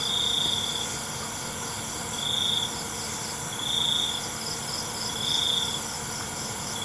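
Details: Crickets after dark: four separate high, silvery trill bursts, each under a second, spaced about a second and a half apart, with a steady high insect buzz throughout.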